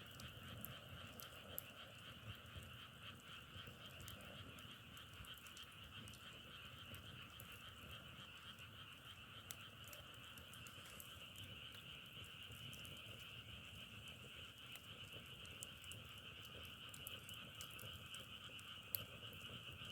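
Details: Frogs calling outdoors beside a wood fire: a dense, unbroken chorus of steady trilling croaks holds level for the full stretch, with sharp pops and crackles of burning logs scattered throughout.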